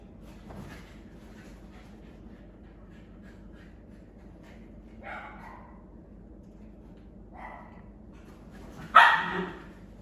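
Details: Cairn Terriers at play, possessively claiming a toy as 'mine': a low steady rumble runs underneath, with short whiny yelps near five and seven seconds and one loud, sharp bark just before the end.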